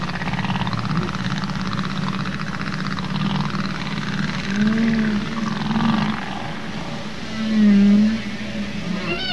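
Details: Humpback whale song, sung by males, probably to attract females. Mostly deep, soft moaning swells with short low arching groans, and a faint rising wail at the very end, set in constant underwater hiss.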